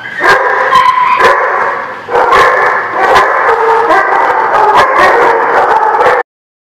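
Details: Dogs in a kennel lot barking all at once, recorded 26 September 2016; a loud unbroken din of overlapping barks and yelps that cuts off abruptly near the end.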